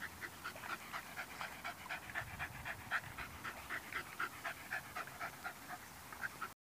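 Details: A Parson Russell Terrier playing with a fox terrier pants rapidly and rhythmically, about four quick breaths each second, steady throughout before stopping abruptly.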